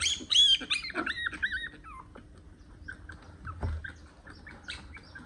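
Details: One-month-old puppy squealing while its long nails are being cut: shrill, high whimpers with wavering, falling pitch packed into the first two seconds, then fainter short squeaks amid soft handling noises.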